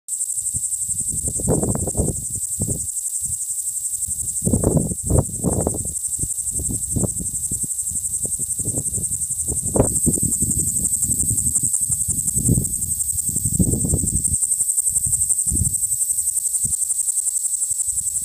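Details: Okanagana utahensis cicada, a noisy small individual found on sagebrush at Grove Creek, Utah County, Utah, on 27 June 2017, gives an unbroken, steady, very high-pitched buzz throughout, over low thumping and rumbling bursts of handling or wind noise.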